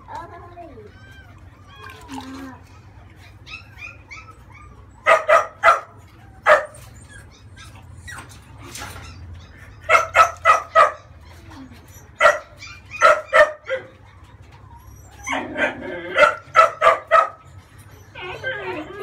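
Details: Bath time for a month-old female French Bulldog pup: quiet talk and soft whines open, then clustered high yaps burst out in rapid pairs and triplets, repeating through the rest of the stretch indoors.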